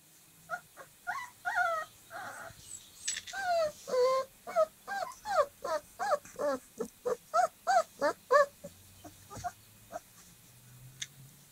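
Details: Dogo Argentino puppies, 25 days old, playing together: a quick run of short, high, whining yelps, each bending up and down, repeated roughly three times a second with a few brief gaps, against a quiet background.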